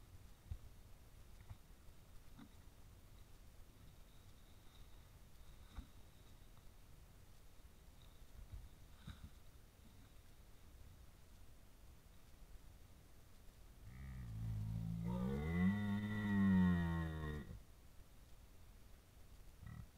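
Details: A red deer stag at a wallow before the rut, filmed by a deer cam, lets out one deep, rough roar after a long quiet stretch.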